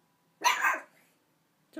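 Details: A single loud, rough bark from a little puppy worked up over a big dog bone it was given, the bark fading quickly into silence, with the start of another sound at the very end.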